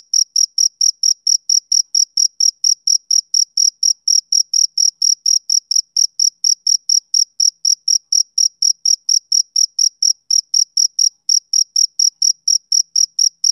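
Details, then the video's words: Male cricket chirping on a summer evening: a steady run of short, shrill, high-pitched pulses, about three each second, evenly spaced and unbroken for the whole stretch, with a faint higher overtone and no other sounds. "Cricket Chirping Sound Effect For Background Noise"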